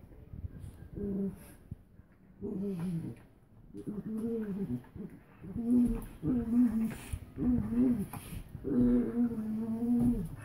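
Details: Two dogs, a Doberman and a Min-Pin/Terrier mix, playfighting indoors: a run of short, moaning growl-whines, each lasting about a second and rising then falling, repeated roughly every second with brief gaps.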